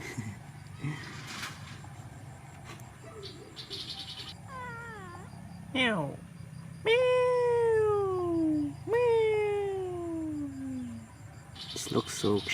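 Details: Stray cats eating a meal together by a river in cold weather; a few short mews, then two long drawn-out meows that slide downward, with a shorter call at the end, over low background rumble and a human voice.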